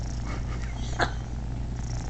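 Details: Unrelated male cat purring as he lets three kittens nurse; a steady low rumbling purr, broken at the midpoint by a short higher chirp-like sound.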